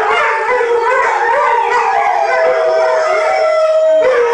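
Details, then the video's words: Pack of six Malamutes singing with their owner; several intertwined howls waver, then one clear voice holds a long flat note before dropping sharply at the end. "Malamute singing woo woo"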